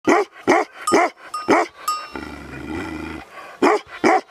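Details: Working male Tibetan Mastiff, or Bhote kukur, owned by a shepherd in Baglung, Nepal, giving deep, loud barks repeated about every half second, with a short gap filled by a low hum before two more barks.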